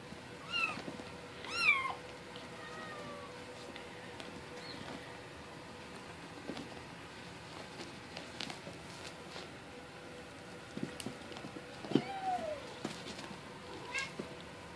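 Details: Bengal kittens seven weeks old, bred from Cupcake and Dakota, give thin high-pitched meows, several in a cluster early on with bending pitch, a longer pause, then more meows later, over soft indoor rustling and taps.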